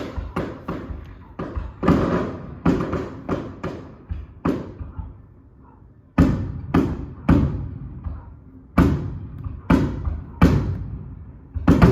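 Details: Fireworks boom in repeated heavy thuds, each followed by a fading rumble, with faint speech in the background and no animal sound.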